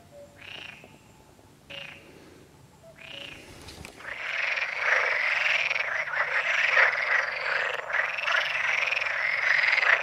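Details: Perez's frogs at the San Antolín pond in Zamudio, Goikomendi, recorded 7 May 2020: a few spaced buzzy croaks swell into a loud, continuous rasping chorus of overlapping calls that fills the second half.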